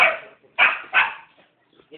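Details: Rottweilers giving three loud, clipped barks about half a second apart, each fading quickly, with a faint short sound at the end.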